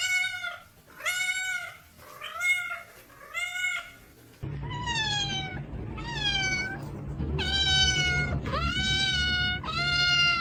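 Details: Domestic cats meowing in a steady run of short arched meows, with a low steady hum and background noise entering midway while the meows continue.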